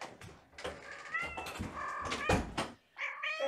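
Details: Kittens from a litter of five, born April 14 and recorded at bedtime on 2018-05-28 during lap time and play, giving several short high mews with stacked harmonics amid thumps and scampering noises indoors.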